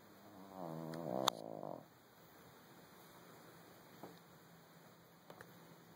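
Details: Little dog taking a quick nap after a busy day, letting out a short, rattling snore with a sharp click in the middle, followed by quiet and a couple of faint taps.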